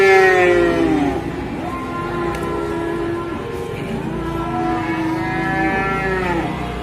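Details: Large cow with an injured leg lows in overlapping, drawn-out moos, one fading at the start and another rising near the end, over steady low background rumble.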